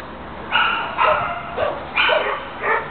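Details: Dog barking indoors in a series of five short, harmonic barks spaced roughly half a second apart, with a person speaking softly in the background.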